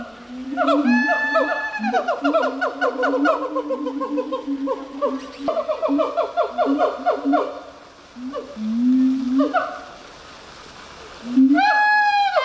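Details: Gibbon calling in long tonal phrases: steady low hooting notes layered with rapid rising and falling slides that sweep upward, pausing near the middle before a final burst of bright ascending whoops.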